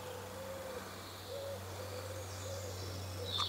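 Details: A tree bumblebee (Bombus hypnorum) in Middlestown, West Yorkshire hums in flight, its droning wing buzz wavering in pitch as it comes and goes.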